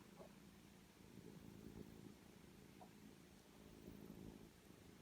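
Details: Soft low purring from three-week-old foster kittens and their tiny mother, Jill, kept safe inside at a rescue. Continuous rumble with gentle swells in loudness and a couple of faint higher squeaks.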